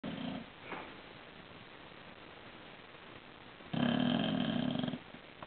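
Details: A sleeping bulldog snoring indoors: a soft rasping snore at the start, then a louder buzzy, rattling snore lasting about a second near the end, with quiet breathing in between.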